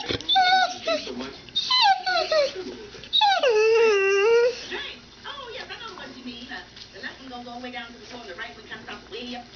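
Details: Pet dogs Annie and Maggie, indoors in a messy room, trained the same day to 'say mom': high whined notes sliding downward, one long drawn-out whimper in the middle, over a woman talking and laughing.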